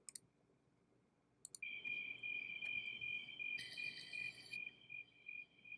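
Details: Crickets chirping at night in bushes, a steady high pulsing trill that starts after about a second and a half, with a brief brighter chiming layer midway and a few sharp clicks at the start.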